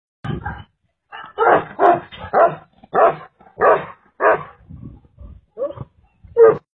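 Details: Tibetan mastiff barking in a rapid series of about ten deep, rough, booming barks over seven seconds, with short pauses and a softer, lower bark midway, in an otherwise quiet setting.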